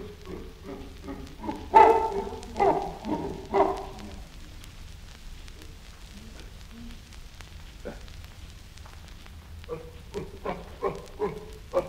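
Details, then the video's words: Chimpanzee uttering short, clipped grunts in an uneven series, with a louder cluster near the start, a quiet gap in the middle, then a few more spaced grunts at the end. "Chimpanzee. Grunts & Scream"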